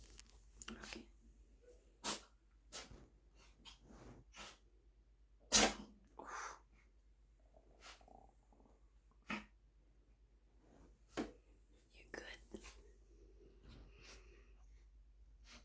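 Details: Sotis, a black house cat, sneezing quite a bit: a run of short explosive sneezes and snorts, one much louder in the middle, scattered among softer breathy bursts in a small indoor room.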